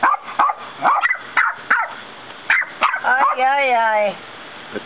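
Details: West Highland white terrier puppy and a 10-year-old Westie barking back and forth at each other; short sharp barks in quick bursts, then a long wavering whine-like howl near the end, with a person talking briefly.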